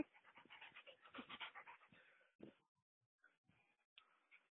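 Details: Mali, a mother dog with her puppies, tired after a good run, panting in quick rhythmic breathy puffs for about two seconds, followed by a few softer scattered breaths and quiet snuffles.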